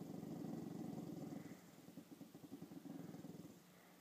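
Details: Seeing herself in a mirror for the first time, the dog Chanel gives a low, rumbling growl. It begins steady, then breaks into quick rhythmic pulses that fade toward the end.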